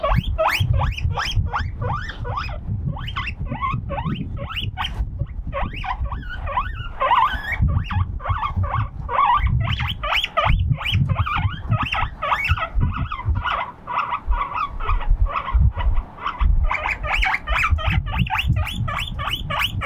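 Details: Guinea pig left alone on a veranda in the wind, crying loudly: long run of quick, high squealing whistles in steady bursts, with heavy wind roar throughout.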